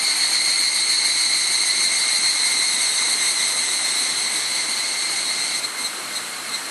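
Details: Cloudy summer evening on Mount Hokyo near Tsukuba, Japan, 31 July 2011, where evening cicadas fill the woods with loud, high, shimmering ringing, steady and layered, recorded through a camera's built-in microphone; the chorus softens slightly near the end.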